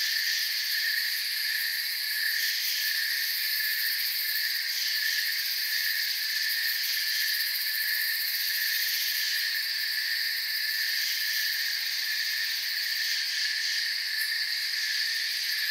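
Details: Steady night-style chorus of forest crickets, countless high chirps blending into a shimmering continuous drone with a few brief flickers in the highest layer over about sixteen seconds.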